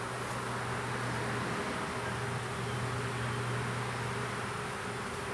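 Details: Small honey bee swarm in a privet hedge thicket, south Alabama, 12 April 2014, during hiving: a loud, dense, roaring buzz with a steady low hum throughout.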